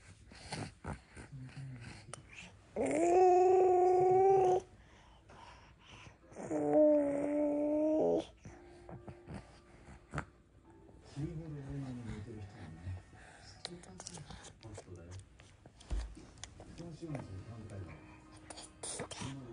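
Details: Norwegian Forest Cat that keeps close to its owner, letting out two sustained, even-pitched meows, then fading into soft murmuring sounds and low rustling.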